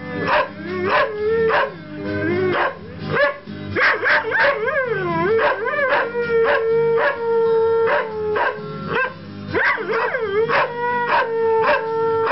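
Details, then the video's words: A Saluki and a Greyhound sing along to Bob Dylan music, sustained tonal howls swooping up then holding a steady pitch for several seconds, over strongly rhythmic music with regular beats. "Saluki boy Milo and Greyhound Harry singing to a Bob Dylan song."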